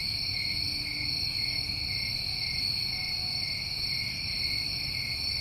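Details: Crickets recorded during a New England summer, their constant high ringing trills overlapping into an even drone with no breaks, with soft low-frequency hum underneath.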